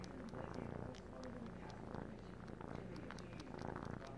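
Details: Three-month-old male Siamese kitten purring while sucking on a blanket as if nursing; a steady, deep, rumbling purr with a rhythmic pulse runs throughout, with faint soft clicks on top.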